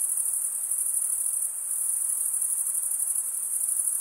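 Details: Crickets chirping at night in a summer forest, a dense continuous high-pitched shimmer with fine rapid pulsing, steady throughout with no other clear sounds.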